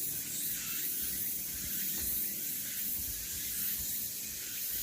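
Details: Continuous shrill cicada drone recorded on Deogeumsan Solbaram-gil, Namwon, 16 August 2019, with gentle waves in intensity over faint low rumbling.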